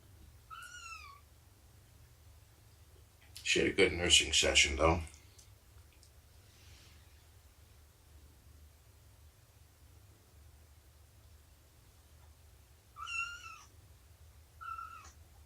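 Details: Domestic cat indoors during a morning nursing and play session with Shelby, a rescued mother cat about two years old, and kittens; two high, falling meows open the clip, a burst of human speech follows, then two more meows near the end.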